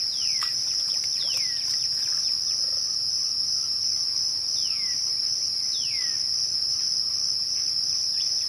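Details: Crickets at dusk give a constant high, even trill. Above it, a few sweeping downward whistles are spaced a couple of seconds apart, with faint clicks early on.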